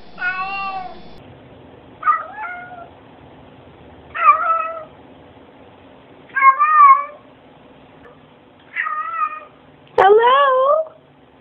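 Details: Cat answering hellos with a series of six chirpy, bending meows spaced roughly two seconds apart, the last one louder and sweeping upward, in a quiet indoor setting.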